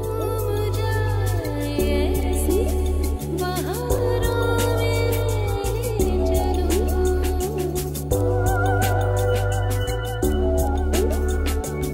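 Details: Background music fills the recording, with a steady bass line, sustained melodic tones and percussive beats, and no animal sound audible.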